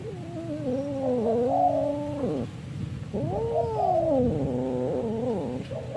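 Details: Ginger domestic cat fighting, giving two long, drawn-out wavering yowls of about two seconds each. The yowls rise and fall in a strained, moaning tone, with a short pause between them and a low background hum.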